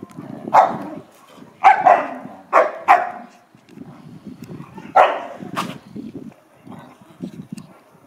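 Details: Play between an American Akita called Pallas and a Chow Chow: about six sharp barks spaced irregularly over eight seconds, layered over continuous low growling rumbles, with a few words of Dutch speech.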